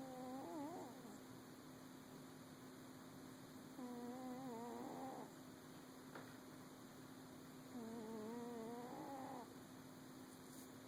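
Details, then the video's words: Cat asleep and snoring, three long wavering tonal breaths spaced roughly four seconds apart, each rising slightly at its end, with a constant background hum and one faint click. "Snoring kitty"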